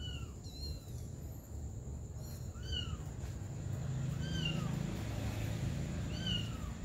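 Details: Mother cat caring for her baby kittens, with repeated high-pitched mews that rise and then drop, about five spaced through the stretch, each clear and ringing, set against a constant low background rumble.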